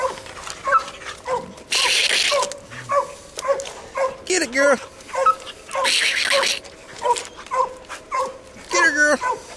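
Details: English coonhound pup Ginger being trained on a raccoon hung in a tree, an older dog barking behind. Steady repeated barks, a man urging "get on, girl", and intermittent loud rustling bursts.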